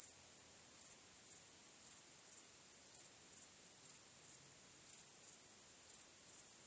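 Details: Night chorus of crickets under a starry sky, a continuous high-pitched ringing drone with sharper chirps standing out about every second, nothing else audible.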